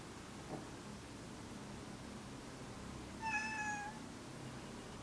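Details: Adult-neutered male house cat approaching another cat, a behaviour that went on for about five minutes, utters one steady, flat, fairly high meow lasting about half a second after a long quiet stretch; faint room hiss.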